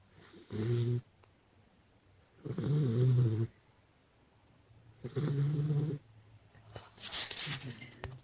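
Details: Sleeping chocolate Labrador Retriever named Nestle snores in a small room, giving three loud, deep, rattling snores roughly every two and a half seconds, each lasting close to a second, with a brief breathy hiss near the end.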